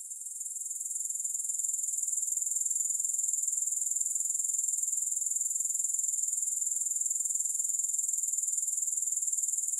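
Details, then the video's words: A continuous, piercing insect trill from grasshoppers, with no music added. It swells in during the first second, then holds a fast, regular buzzy pulse at a constant high pitch. "Grass Hopper Sounds"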